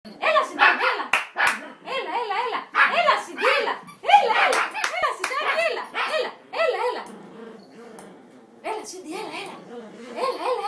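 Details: Angry Yorkshire Terrier giving a run of high, arching yaps and whiny barks in bursts about every second and a half, with pauses between bursts, while a person's voice talks over it indoors.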